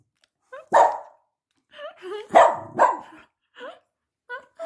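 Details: Indoor dog protesting while its owner eats ice cream: a few abrupt barks, two close together midway, mixed with short high, rising whiny yelps, with people talking nearby.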